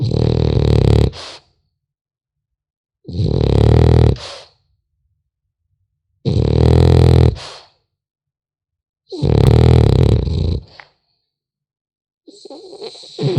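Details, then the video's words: A French Bulldog puppy asleep indoors, snoring steadily: four deep, raspy, grunting inhalations repeated about every three seconds, with silent gaps between them, then a softer snuffling breath at the end. "Храп щенка французского бульдога"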